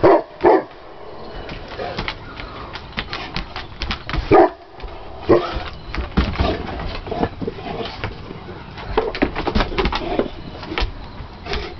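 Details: English Mastiffs Willie and Raymond at play give two deep, loud barks, one at the start and another about four seconds later. Between them come shuffling, panting and low grumbles from the romping dogs.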